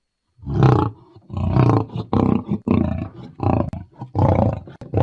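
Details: Lion uttering a quick series of deep, rasping roar pulses, about six bursts in five seconds, rumbling and heavy in the low range.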